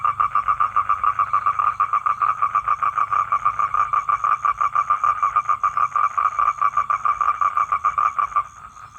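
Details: Male toad calling for a female to come and mate, giving a continuous mid-pitched pulsed trill with rapid, regular beats that fades slightly at the very end, with a low background hum.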